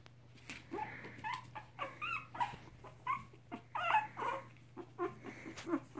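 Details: Soft, short squeaks and whimpers from fostered three-week-old mixed Chihuahua puppies with their mother, coming in uneven bursts about every second or two over a faint low hum.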